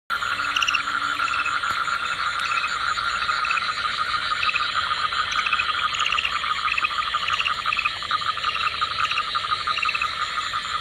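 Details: Common tree frog in Matheran, India, heard while laying eggs, amid a dense chorus of short repeated clicking and chirping notes over a steady high insect-like hum.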